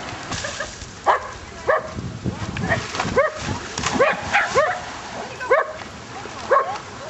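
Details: Shetland Sheepdog named Whisper playing in a pond alongside border collies: short, sharp, yelping barks repeated roughly every half second to second, with people cheering and calling encouragement over the splashing play.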